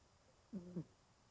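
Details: A 20-year-old elderly domestic cat curled up and sound asleep indoors snores softly. There are two short, low, tonal breaths in quick succession, each with a faint buzzy rasp, over a quiet room hum.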